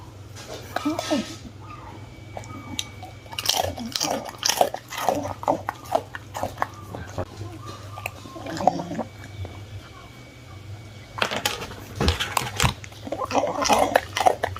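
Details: Bun-turng, a one-year-old Miniature Bull Terrier, crunches through crispy baked fruit in loud, repeated bites and chewing bursts throughout, with a quieter pause midway and dense crunching near the end. Faint voices and a low hum are heard.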